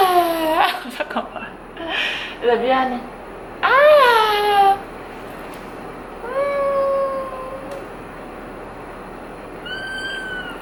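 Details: Pet kittens Angko, a 3-month-old female British Shorthair, and Chacha, a 3-month-old female Norwegian Forest Cat: clear high meows, a long wavering one near four seconds, then steady drawn-out cries, over light music and voices.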